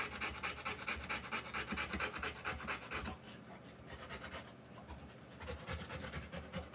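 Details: Rottweiler in the middle of giving birth to puppies; rapid rhythmic panting for about three seconds, a short quieter lull, then the hurried breaths pick up again.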